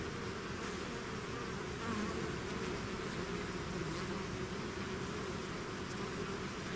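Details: Swarming bees leaving their hive make a thick continuous drone, layered buzzing tones holding steady throughout with a slight swell around two seconds, no other sounds.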